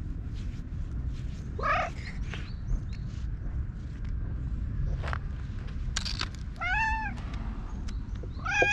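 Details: Orange tabby stray cat, brushed with a cat grooming comb after rubbing up to a person, GoPro recording; a quiet meow, then a clearer arched meow and a brief final one, amid rustling and low outdoor rumble.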